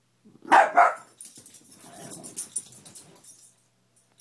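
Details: Indoors, Gia the beagle barks twice in quick succession at a toppled Spider-Man lamp. A low, rumbling growl follows, as Loa the rat terrier guards the lamp, with light scuffling behind.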